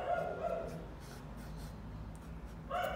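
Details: Domestic dogs barking in the background during a daytime recording in a painter's garage studio, louder than usual: short harmonic barks at the start, a second one just after, then a long quiet gap with low hum before another bark at the end.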